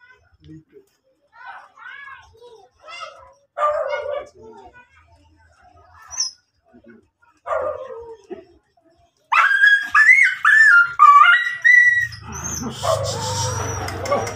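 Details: Miniature Dachshund at a stud service (breeding) in Guesang, Mangaldan: a series of short, high, curving whimpers and yelps, separated by pauses, grows into louder rapid yelping near the end, followed by a burst of broad noise.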